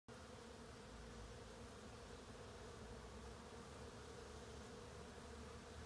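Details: Western honey bees among summer blossoms at Mount Auburn Cemetery, Cambridge, Massachusetts, buzz in a steady, low drone that hums on without pause.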